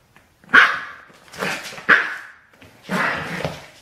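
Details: Baxter, a seven-week-old Border Terrier puppy, chews cheekily on shoelaces and gives four sharp, high yipping barks about a second apart. Each bark fades quickly into a quiet room.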